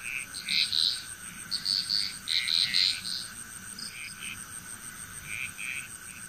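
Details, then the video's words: Frog chorus from Bali, Indonesia: a few bright, bubbling croak bursts close together early on, then quieter scattered calls, while a steady high whine and low hum persist. "Frog Chrous"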